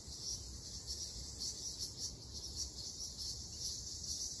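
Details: Ryukyu large brown cicada singing in a summer forest in Okinawa: a continuous high, hissing buzz that pulses gently about twice a second, with no other clear sounds.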